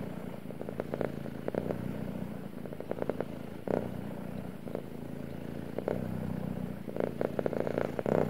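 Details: Purring from a male house cat, a continuous deep throbbing hum that swells and eases roughly every second, dotted with short crackling taps and handling noises.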